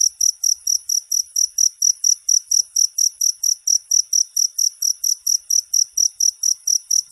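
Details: Cricket sound used as masteran tutoring material for songbirds: bright, high-pitched chirps repeated steadily, about three to four each second, with a quiet background.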